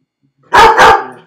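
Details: Felix the dog, alone in his crate, gives a double bark, two loud harsh notes in quick succession, in an otherwise quiet room.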